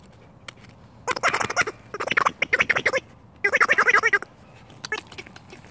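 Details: Rescue red fox named Finnegan, busy with a new toy, makes several short bursts of fast, raspy chattering separated by quiet pauses.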